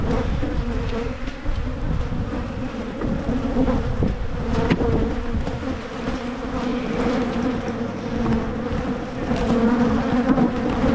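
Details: Steady droning of a honey bee colony in Michigan as the beekeeper makes splits to head off swarming; a continuous low hum with a brief click near four seconds and rumbling handling noise underneath.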